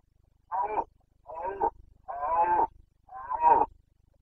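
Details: Carpathian stag bellowing in the breeding season, Bucovina, 29 September 2022: four coarse, groaning roars in quick succession, each under a second, separated by brief pauses.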